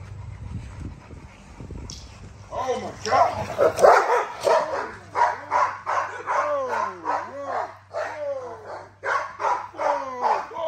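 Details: American Bully, an XL female being exercised, barks in rapid excited bursts after a quiet start with a low hum, repeated high yelping barks with arching pitch, a man speaking over her.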